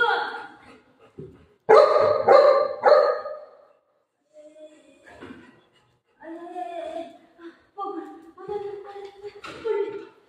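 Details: Pet Golden Retriever giving a burst of three or four loud, ringing barks in quick succession, followed by quieter people's speech and softer vocal sounds.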